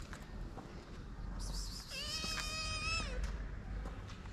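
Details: Shy, hungry kitten, one of two abandoned sisters sheltered in Morocco, utters a single clear meow of about one second that rises slightly then falls, over a low steady rumble.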